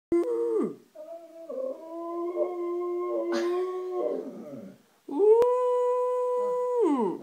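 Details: Siberian Husky and Samoyed mix dog howling indoors: a short opening howl, then a longer steady wavering howl, and a final strong, level, sustained howl that falls off at the end.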